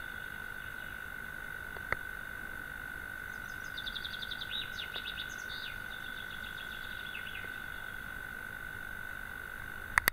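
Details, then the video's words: A European mole cricket sings in the evening from its burrow in a sandbank across a pond, a steady, low churring trill without a break. It had not been heard there for several years. "courtilière"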